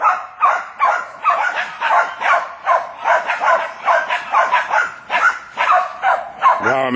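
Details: Jack Russell Terriers at work on a wild boar bark steadily, about two to three sharp yaps per second, irregular and overlapping, with a handler's Italian shouts of encouragement in the background.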